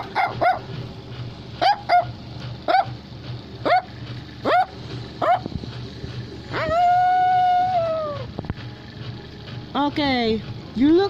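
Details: Chinese Crested Dog. A Chinese Crested Dog barks in quick, high-pitched yips, roughly one every second. It then holds a long, steady whining note before breaking into upward-sliding yelps, with soft music and a voice in the background.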